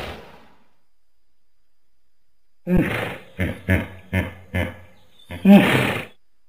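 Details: Hippopotamus giving deep, rough grunting bursts after a long silence: a run of five short pulsed grunts, then a louder, broad, snorting blast.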